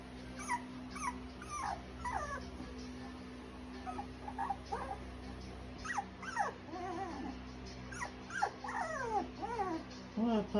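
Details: Cocker spaniel puppies whimpering repeatedly: thin falling whines and squeaky yelps in quick, irregular bursts throughout, some wavering, over a constant low electrical hum.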